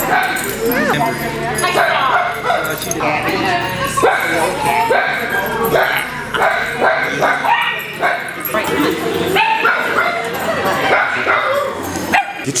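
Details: Many Italian Greyhounds playing together at a Sunday morning playdate at kennels in Denver, Colorado, on 26 January 2014. Busy, overlapping yips and short barks continue throughout, with people talking in the background.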